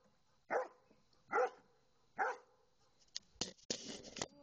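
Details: Champ, a Dobermann, barking at two swans: three deep, full barks spaced roughly a second apart, followed by a few sharp, noisy bursts and rustling.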